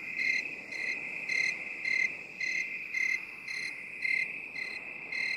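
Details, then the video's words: Binaural 8D recording of a cricket, its high ringing chirps arriving about twice a second in an even rhythm, some bursts louder than others, with a faint continuous background hiss. "8D CRICKET SOUND"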